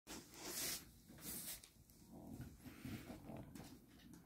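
Laika puppies give short, noisy yelps and squeaks in a small indoor room.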